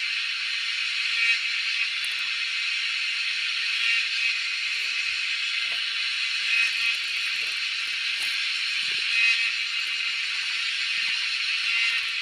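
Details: Wild cicadas making a crazy noise during a hunt: an unbroken, high, sizzling buzz that swells gently every few seconds, with scattered soft rustles and taps below.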